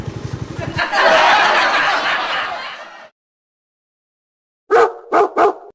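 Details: A hungry Labrador Retriever waiting for fish gives three sharp, loud barks in quick succession near the end. Before the barks, a rapid low pulsing is heard, then a long, loud hissing noise, then a pause of silence.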